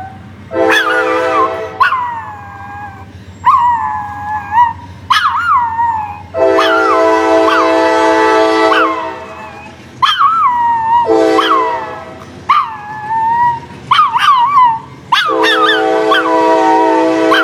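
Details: Cocoa, a female pet dog, howls at a passing train's blaring horn. Long wavering howls slide down in pitch and repeat every few seconds over the steady, loud horn blasts.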